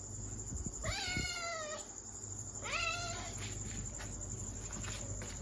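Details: Two drawn-out, high kitten meows, each starting sharply and gliding downward, separated by a short pause, with a steady hiss in the background.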